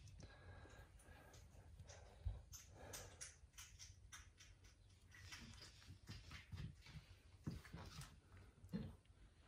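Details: A 30-day-old male kitten gives short, breathy hisses out of fear as a man tries to pet it and speaks nearby.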